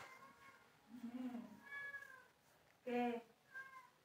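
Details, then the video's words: House cat meowing while wanting to sleep: a sequence of short harmonic meows, one falling, one loud and abrupt near three seconds, then a softer final mew, in a quiet indoor room. "Cute Cat Want To Sleep"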